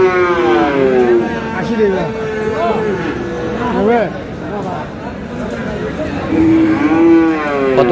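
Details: Crowded Aftabganj haat in Dinajpur, Bangladesh, where young Friesian and crossbred bull calves are traded on 22 July. Overlapping moos from several calves bend up and down, some short and some sustained, amid bargaining voices and passing vehicles.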